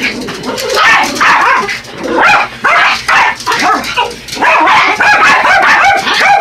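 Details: Two Yorkies, Buddy and Elmo, harass a remote-control toy truck with frantic yapping, bursts of high barks and whining yips running together with few breaks.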